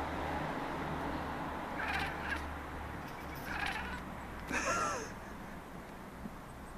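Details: Maine Coon cats, three of them including a red one, chattering at city birds; a few short harmonic croaky bursts near two, three and a half and five seconds over a steady low hum.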